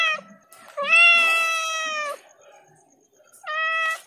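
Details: Domestic cat meowing very loudly: a long, drawn-out harmonic meow lasting over a second, preceded by a brief short call and followed after a pause by another sustained meow, with faint low background sounds between calls.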